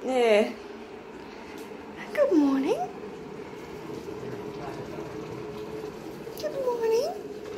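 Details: Rescued pet cat at home in Cooktown, Queensland, Australia, asking for treats: three drawn-out meows, each arching up then down, one at the start, one near the middle, one near the end, with a person talking softly in a small room between them.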